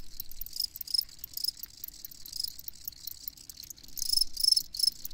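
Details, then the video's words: Chorus of crickets giving shrill, rapid chirps in irregular clusters. The bursts fade and then swell again near the end over a faint low rumble. "Crickets Chirping"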